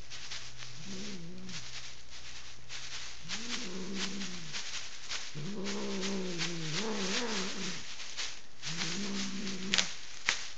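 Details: Furious house cat in a bedroom in Kitchener, Ontario, refusing to be lifted off the bed during painting. She gives four moaning, harmonic growl-yowls, the longest about two seconds and wobbling in pitch, with rustling noise throughout.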